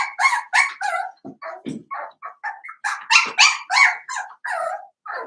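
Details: Seven-week-old blenheim Cavalier King Charles Spaniel puppies, a litter of five born on New Year's, in an indoor puppy pen. High, harmonic yips and barks tumble out rapidly and overlap, several pups calling at once in uneven bursts.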